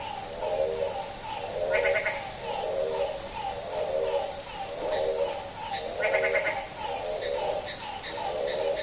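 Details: Frog calling at midnight on a rainy day, a goat-like bleating call repeated roughly once a second in a steady series, with brief higher chirping notes from other callers now and then.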